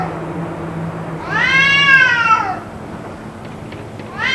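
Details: Yowling cat during a possible fight that lasted about two hours: one long, strained wail arching upward then falling over about a second, followed by the start of another call, against a faint low hum.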